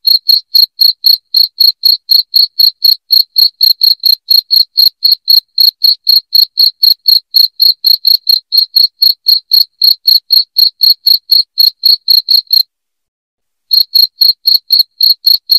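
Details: Loud cricket chirps meant to repel rats indoors, a quick even train of high pulses at roughly four a second, broken by a gap of about a second near the end.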